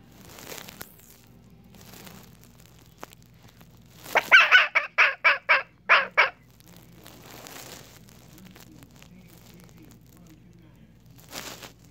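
A young red fox lets out a quick burst of harsh, raspy yelps, about seven in a row.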